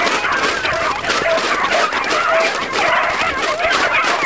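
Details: Continuous baying from a beagle pack chasing roe deer: many dogs yelp and bark over one another in a busy chorus, with a few short, clearer whine-like notes standing out.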